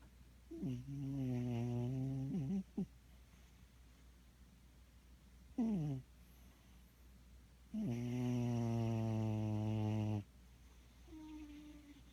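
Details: Sleeping cat snoring indoors: two long buzzy, harmonic-rich snores, each about two seconds, with a short throaty rasp between them, on a low steady background hum.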